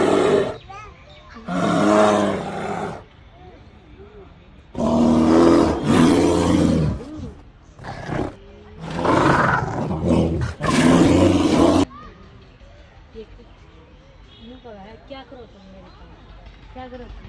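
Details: A black bear in a zoo, with a female bear, gives loud, rough roaring bursts, each lasting a second or two, with quieter sounds in between.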